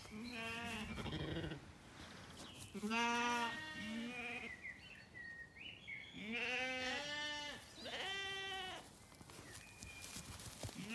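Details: Evening in an Irish orchard in County Kilkenny with Zwartbles lambs: three spaced groups of wavering bleats from several animals, with bird song and a little rustling between them.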